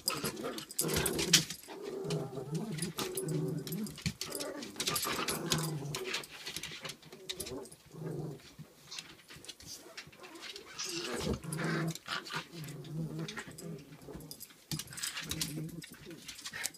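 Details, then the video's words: Angry Pomapoo puppy taking on a Pomeranian that decides to play back, indoors: repeated throaty, rumbling growls and snarls in rising and falling bursts, with a person talking over the scuffle. "Angry pomapoo puppy takes on pomeranian"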